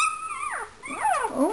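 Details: Complaining puppy in a whelping box, apparently hungry, producing one long high whine that holds steady, slides down, then rises and falls again in a bent, wavering cry.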